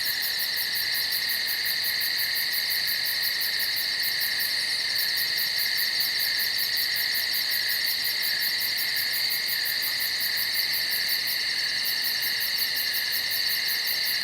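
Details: Woodland insects calling after dark, a seamless high buzzing drone under a rapid, regular high trill of pulses that briefly breaks off twice before resuming.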